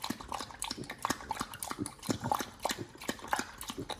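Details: Nomyen, a Pit Bull, eating a raw meal of fish and duck feet: wet, sharp crunches and snaps of bone come in irregular bursts, roughly once a second, with soft smacking between bites.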